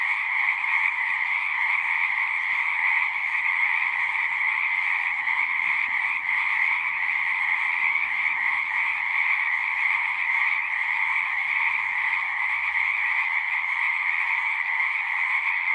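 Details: Frogs calling en masse from a pond in a horse pasture, Zoom 6 recording: a continuous high trilling chorus, evenly loud from start to finish, with a soft low thump near the end.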